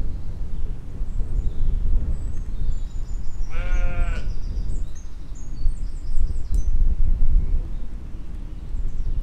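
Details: Sheep and lambs grazing in a field in spring 2020; one loud, wavering, quavering bleat lasting under a second arrives near the middle, set against steady wind rumble and faint high bird chirps.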